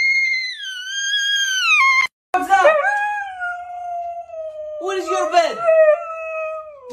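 A Siberian Husky howls in long, sliding tones that fall from a high whine into a wavering, yodel-like croon.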